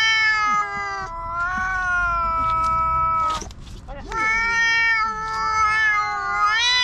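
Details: Two black stray cats in a park quarrel loudly, trading long, drawn-out harmonic yowls that hold steady then waver, broken by a short pause near the middle before the wailing resumes.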